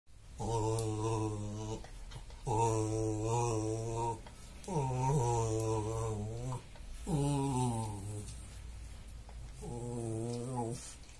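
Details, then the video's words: Dog grumbling contentedly while having its back scratched, a friend's pet indoors: low harmonic rumbles of about two seconds each, five bouts separated by short pauses, voiced and slightly wavering in pitch. "Пёсик чешет спинку и урчит"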